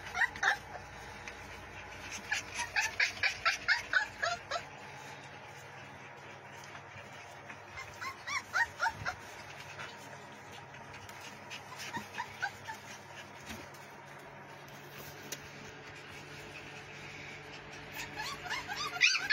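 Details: Pit Bull puppies playing and biting, giving bursts of high, squeaky yips and whimpers in rapid runs, with quieter gaps between the bursts and a sharp louder yelp at the very end.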